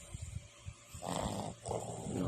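A Boston Terrier snores in long, rumbling breaths with a rough, nasal rasp.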